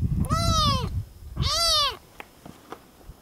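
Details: Hungry, sleepy kitten on Bolivia's Isla del Sol, Lake Titicaca, near Copacabana: two loud, drawn-out meows, each rising then falling, with a low rumbling underneath, then quiet clicks.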